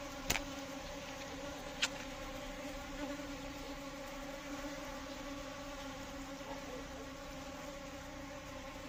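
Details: Steady buzzing of Asian honey bees, Apis cerana indica: an even, unbroken low hum with rich overtones, interrupted early on by two brief sharp clicks.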